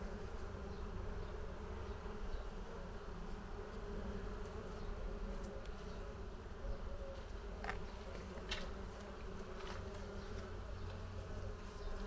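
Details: Bees working under a green pergola on a terrace on a hot summer afternoon; a steady low droning hum from many insects fills the whole stretch, with a few brief higher clicks rising above it.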